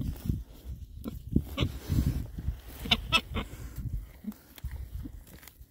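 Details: Rare breed Oxford Sandy and Black pigs, six males, on a winter forage between storms; deep, short grunts repeat irregularly, joined by a few brief, higher squeaky notes and snuffling.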